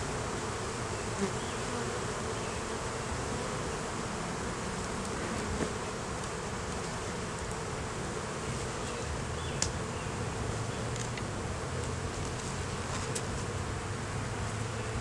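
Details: Honey bees at an opened hive during a beeyard inspection where a laying queen, honey, capped brood and larvae were found: a dense, continuous buzzing drone with a low hum, a few faint clicks, no talking.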